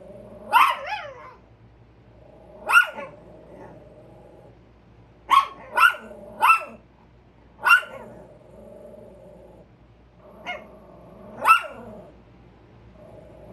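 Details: Chihuahuas on alert toward a squirrel bark in scattered sharp single and double yaps, spaced a second or more apart, over a quiet low hum.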